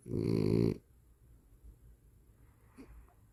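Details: Snoring dog called Cola: a single short, loud, rasping snore at the start, then near silence with soft breathing.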